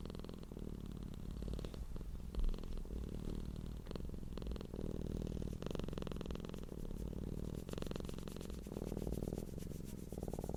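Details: Cat purr as a deep continuous hum, rhythmic low pulsing broken into long cycles by brief dips as the cat breathes, with some soft rustling on top.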